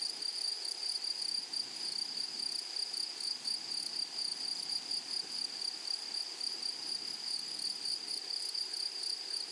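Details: Stridulating grasshoppers of a flowery meadow: unbroken high-pitched drone with bursts of rapid, rasping pulses that fade midway and return strongly near the end, nothing else clearly heard.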